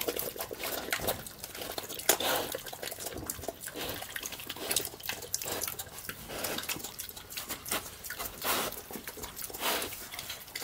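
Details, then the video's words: A piglet eating slop loudly on a farm; wet, smacking chewing and munching with irregular sloppy slurps and crackly bursts, recorded close up. "Piglet is eating loudly. How does pig chewing and munching? ASMR pig eating."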